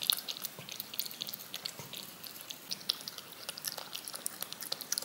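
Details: Cat licking yogurt off a spoon, with brisk sticky clicks and little smacking sounds coming quickly and unevenly over a hushed room.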